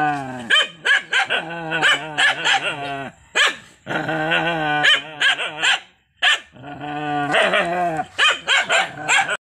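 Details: Angry dog with nearly continuous snarling growls and rapid barking, loud and tense, with only brief pauses.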